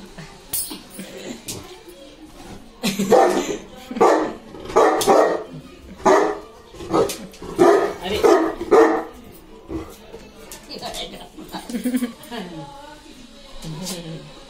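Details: Bruno, a nearly three-year-old Indian Saint Bernard, barks at his grandmother because he is angry and wants her to play. About eight loud, deep barks come in a quick run, then softer noises follow, with people talking throughout.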